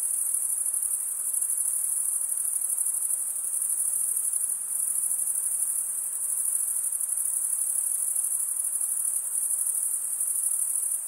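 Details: Steady cricket chirping, males rubbing their wings together to produce the sound. A piercing, finely pulsed trill drones on without gaps, its loudness wavering gently; nothing else is audible.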